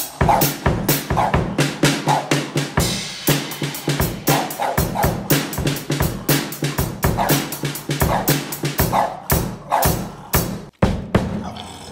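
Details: A drum kit plays a steady rock beat, with kick, snare and rimshot hits repeating about once a second. No animal voice is heard.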